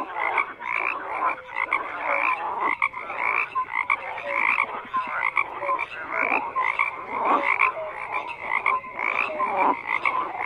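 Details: Many frogs croak together without pause, a busy mesh of rattling pulses and short bright notes rising and falling in loudness across the chorus.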